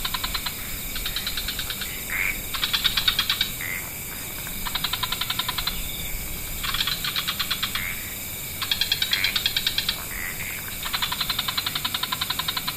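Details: Evening wetland frog chorus of mixed species: repeated rattling trill bursts about a second or two long, starting and stopping in turns, with a continuous high background hiss.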